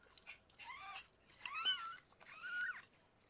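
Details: Indoor scene as rescued foster cat Harlequin gives birth to six kittens: three short, high, wavering mews in quick succession, each rising then falling, with little else audible.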